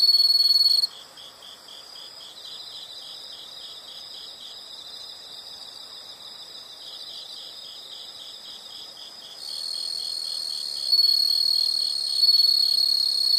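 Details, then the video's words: Insects chirping in a natural setting: a steady high pulsed chorus, with a louder continuous trill of another insect at the start and returning near the end, over a soft hiss. "the sound of insects"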